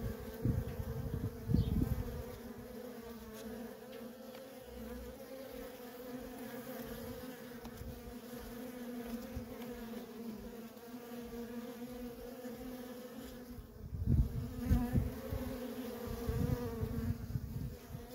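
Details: Worker honey bees at a feral colony keep up a steady droning hum for the full length. Bursts of louder, closer buzzing come near the start and again after fourteen seconds, over a low rumble.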